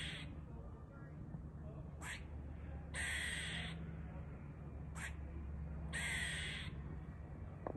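A squirrel gives harsh, raspy calls, a brief note then a longer one, repeated every few seconds.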